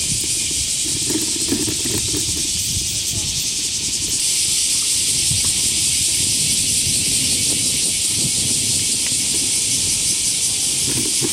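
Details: Loud cicada chorus on a sunny summer morning near Senda Park and the Motoyasu River, Hiroshima, 4 August 2023, before half past nine: continuous buzzing drone that swells slightly partway through, with distant city rumble and faint other sounds underneath.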